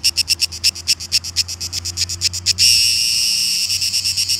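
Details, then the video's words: Cicadas singing at Šibenik, Croatia, on 5 July 2018: loud, high, rasping pulses repeated about six per second, then merging into a continuous shrill buzz before pulsing resumes. "Cicadas - Šibenik / Croatia"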